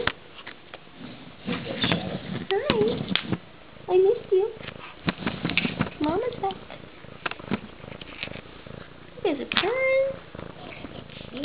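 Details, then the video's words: Two pet cats greeting their owner under a door after a week at a cat-sitter's over Spring Break: short rising and falling meows in bursts, one drawn-out meow near the end, with human speech and scratching noises. "Kitties under the door"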